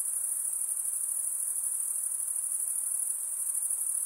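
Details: Short stretch of a nighttime insect chorus: an unbroken high, rapidly pulsing trill, even in volume, with quiet diffuse noise lower down.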